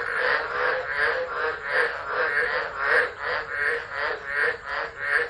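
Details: Frog chorus in Driver, Northern Territory, Australia, during a tropical storm on 13 December 2013, phone recording; rasping croaks come in slower, swelling pulses, roughly one every second or so, overlapping into a continuous wall of sound.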